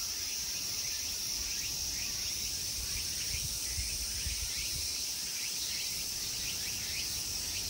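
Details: A continuous, bright, high whine of summer insects fills the Honmonji temple park at Ikegami, Tokyo, Japan. Soft ticking pulses ride over it, with a dull low rumble beneath.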